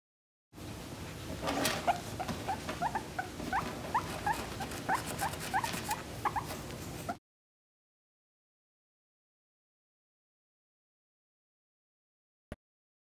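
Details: Pet guinea pig giving a rapid series of short, high squeaky chirps, about three per second, for roughly seven seconds, then silence broken by a single click near the end.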